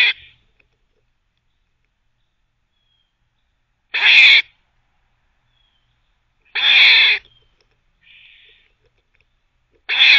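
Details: Barking squirrel that is teething at the same time at a teething cafe; four short rasping barks come at uneven intervals of about three seconds, with a faint softer buzz between two of them.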